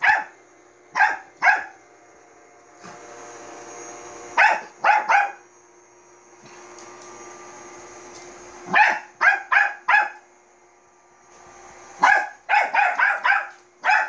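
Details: Manbok, a Bichon Frise, yaps at a robot vacuum; quick clusters of two to five shrill barks separated by pauses where the cleaner's whirring hum rises and fades.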